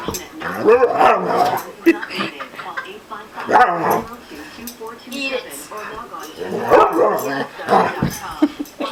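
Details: Bandit, a pet dog who dislikes an orange being held, gives repeated drawn-out wavering whines and yowls in bursts about every two to three seconds, overlapping with a person talking.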